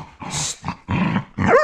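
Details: Rescue dogs wrestling in rough play give harsh, broadband growling bursts with a noisy scuffle. A sharper, whining yelp comes at the end.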